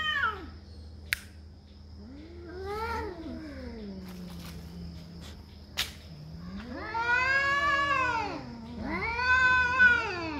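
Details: Drawn-out cat caterwauling: a low moaning yowl sliding downward, a brief pause broken by sharp clicks, then two loud arching howls rising and falling in pitch, set against a faint constant hum.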